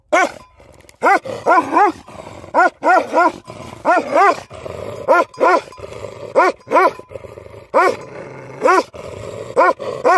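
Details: Livestock guardian dogs barking: deep, harmonic barks in short clusters of two or three, spaced irregularly with brief pauses, over a faint steady background hiss.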